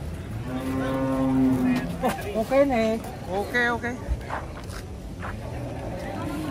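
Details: A steady, low, sustained moo opens the recording as huge cattle come down off a truck, then gives way to people talking and shouting, with faint engine rumble in the background.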